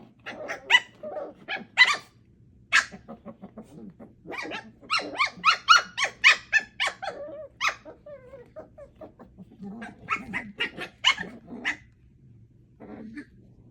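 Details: Four puppies, Thumper, Coco, Aurora and Elvira, aged 8 weeks, at play: dense bursts of sharp, high yaps and squeaky barks, irregular and overlapping, with brief whiny growls between flurries and a quieter tail at the end.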